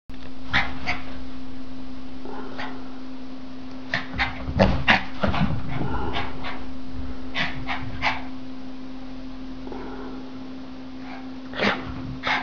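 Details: A male Norwich terrier, nearly three years old, playing with a toy gives scattered short, sharp yips and barks, clustered in quick bursts in the middle and again near the end, over a steady low hum.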